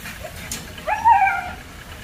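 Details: A German Shepherd pup at Zondiram Kennel gives a single drawn-out whine that rises and then holds level before fading.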